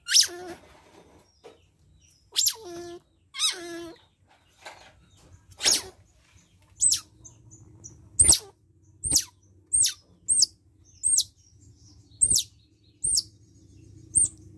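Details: Otter pup roughly one month old being bathed: a few wavering squeals at first, then a steady run of short, high, hooked chirps spaced about a second apart, over a faint low hum.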